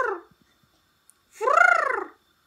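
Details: Pembroke Welsh Corgi dog giving a single drawn-out vocal call that rises and then falls in pitch, lasting under a second, preceded by the tail of an earlier call; the room is otherwise quiet.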